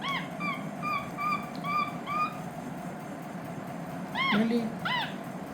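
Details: While eating spaghetti, a capuchin monkey called Lilly whistles a run of about six short, flat, even notes. After a pause come two sharply arched chirps, over a steady low hum.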